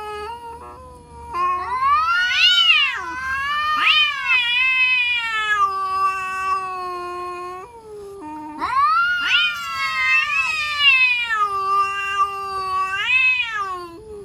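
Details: Cats threatening one another with frightening cries: two long bouts of swelling, quavering yowls, each rising to shrill peaks and sagging into low, drawn moans between surges.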